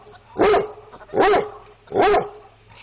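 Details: Dog barking, said to be a Basset Hound or Chihuahua: three loud, sharp barks spaced under a second apart, each with a bright harmonic burst, and a steady low hum beneath.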